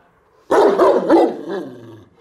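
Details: Bucovina Shepherd Dog in Horodnic de Sus, 30 September 2017, letting out a burst of three rapid loud barks followed by a fading, lower drawn-out woof.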